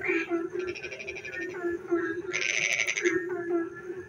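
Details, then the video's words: Frogs calling on a rainy night: a steady droning chorus underlies loud bursts of rapid, rattling pulsed calls, one short near the start and a longer, brighter burst of about a second midway. "frog singing in the dark night when it rains"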